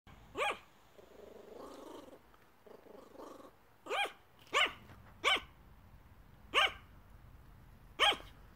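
A Yorkshire Terrier gives sharp, high-pitched barks, spaced irregularly, while begging.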